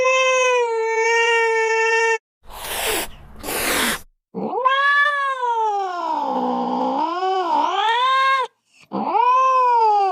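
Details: Domestic cat meowing: a steady, level meow, then a short hissing burst, then a long, drawn-out meow that wavers and dips before rising, and a final short meow.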